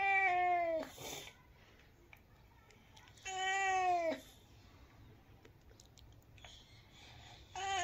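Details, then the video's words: Domestic cat meowing indoors: two drawn-out, clearly voiced meows that bend downward at the end, about three seconds apart, a third one starting as the section closes, with faint knocks and rustles between. "Cat meows"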